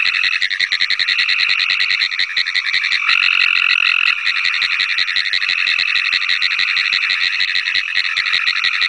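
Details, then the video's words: Pine Woods Treefrog calling together with Cope's Gray Treefrog: a dense chorus of fast, rattling pulsed calls, like rapid clicking in a steady stream, with a louder, smoother buzzing trill rising above it for about a second midway. "Calling Pine Woods Treefrog (Hyla femoralis) and Cope's Gray Treefrog (Hyla chrysoscelis)"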